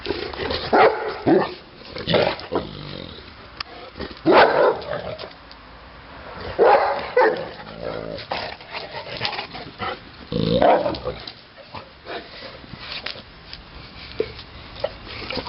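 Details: Neapolitan Mastiff named Titti barking in bursts, several loud deep barks grouped together with pauses of a few seconds between groups, some background noise.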